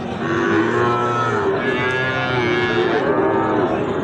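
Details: Deep lowing from Sahiwal bull calves for sale at Ambari haat, a Friday and Monday market: two sustained, level moos, the second slightly higher, over bustling market voices.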